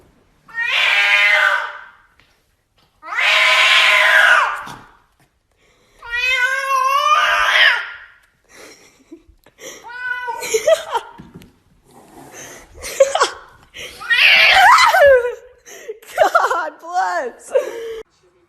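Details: Domestic cats in a funny compilation of short home clips; a run of loud, drawn-out meows and wails, some harmonic and wavering, several long yowls separated by brief pauses, indoors.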